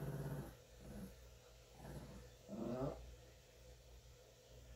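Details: Shih Tzu weighing 9 pounds growling while being groomed by the household cat; short low growls rise and fade in a few bursts, one louder rising growl near the middle, then quieter rumbling, with a steady low hum.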